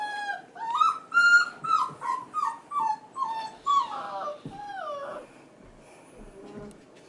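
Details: Male F1b Goldendoodle puppies, about five and a half weeks old, crying in the background while their sisters play with children. A quick run of about eight high, harmonic whimpers in four seconds gives way to longer sliding whines that fade out.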